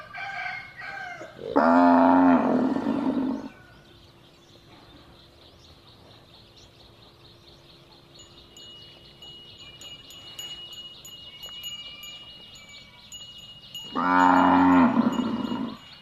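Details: Cow moos for locating a lost calf: a loud, drawn-out, deep bellow opens the recording and a second one follows about twelve seconds later, with soft chirping birds and a thin steady tone in between.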